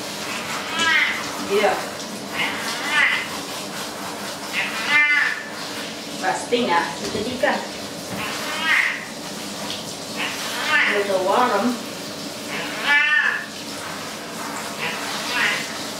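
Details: Domestic cat protesting while being washed with warm water in a bathtub, giving about ten drawn-out, rising-then-falling meows spaced every one to two seconds over running water and a person talking.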